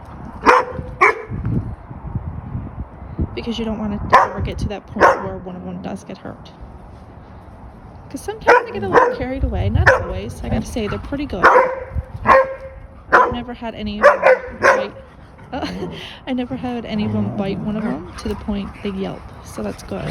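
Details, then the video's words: A pack of German Shepherd puppies playing and vocal, giving sharp yips and short barks in irregular bursts, the busiest stretch coming midway, while people talk over and between the calls. "Pack Of Vocal Puppies Play"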